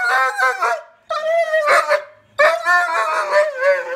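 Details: Poodle, female, calling out to her deer friends: three loud, sustained, quavering screams with rich harmonics, each about a second long, with short silent gaps.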